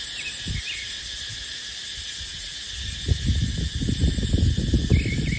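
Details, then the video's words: Dry-season chorus of cicadas in dipterocarp forest: a continuous shrill buzzing hum. Rumbling gusts of wind grow stronger in the second half, and faint brief chirps sound at the start and end. "เสียงจั๊กจั่น สายลม ในป่าเต็งรังยามหน้าแล้ง"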